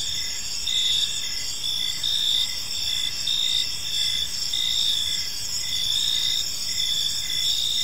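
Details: Crickets in a serene park as evening falls, producing a continuous high buzzing chorus with rhythmic pulsing chirps, several callers overlapping, and a low soft background hum.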